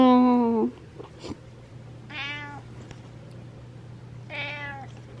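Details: Domestic cat meowing for attention at night indoors: one loud, drawn-out harmonic meow, then two quieter, shorter meows about two seconds apart, with a steady low hum in the background.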